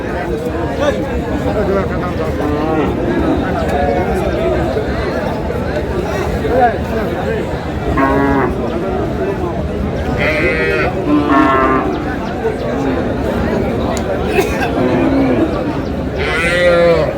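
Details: Cows at Aftabganj cattle market in Dinajpur, Bangladesh, on 9 August, thin bony animals up for sale; a few brief lowing moos rise out of constant crowd chatter and bargaining voices.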